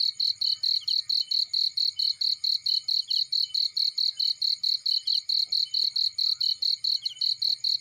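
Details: Steady shrill chirping of a cricket in a field, regular rapid pulses about four per second, while a fireplace burns with faint low crackles and a few soft pops.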